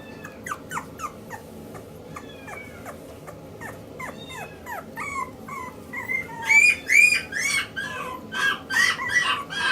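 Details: Male Maltese puppy born 29 February 2016, kept at a pet shop in Yokosuka, Kanagawa, Japan, giving rapid high-pitched whimpering squeaks, about two or three a second, each sliding in pitch, growing louder and shriller in the second half.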